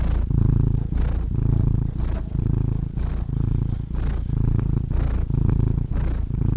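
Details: Domestic cat purring steadily, a deep low rumble pulsing in regular breaths, each inhale and exhale marked by a short pause roughly every 0.8 seconds.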